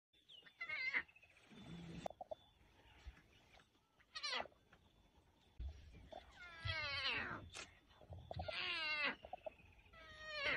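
A lion cub gives a series of hoarse, mewing cries that swoop up and fall away.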